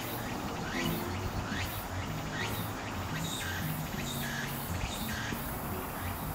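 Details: Walker's cicada (Meimuna opalifera), singing in late summer to early autumn as autumn arrives. Repeated rising pulsed phrases sound through a noisy, hissing background, with brief higher chirps partway through and low rumble underneath.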